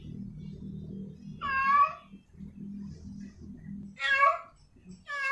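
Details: Female cat in heat calling a male: three loud, harmonic meows with falling tails, spaced a few seconds apart, over a steady low musical hum that fills the gaps.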